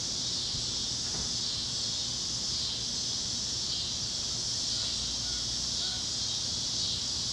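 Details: On a Kansas evening at sunset over the plains, chirping cicadas form a continuous bright, hissing drone, while a few faint, brief bird notes surface in the middle range late on.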